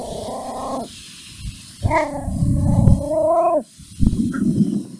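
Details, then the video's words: Mimi the puppy, angry at a stranger, gives long, drawn-out, tonal whining cries, each about a second or more, separated by pauses, with low background rumble. "Mimi angry and barks at strainger"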